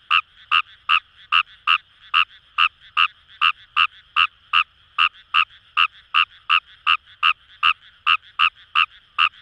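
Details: Wild Kawamura's rice frog in Kamo River rice paddies, Itoshima, Fukuoka Prefecture: rapid, regular string of roughly twenty-five short grating croaks, about two and a half per second, over a constant buzzing frog chorus behind.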